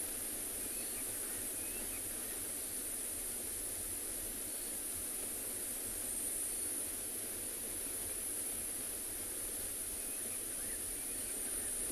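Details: Steady broadband rushing noise, like wind or distant engine hum, with no clear animal calls.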